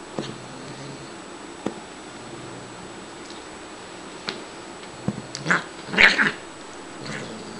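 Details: During playtime the female Siamese cat Shiloh stays quiet for several seconds amid faint clicks and rustles, then gives two close, harmonically rich meows, the second louder and slightly drawn out.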